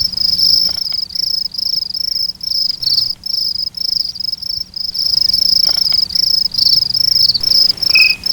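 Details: High, shrill cricket chirps at night in regular bursts about 150 per minute, each burst a rapid buzzy pulse train separated by short gaps.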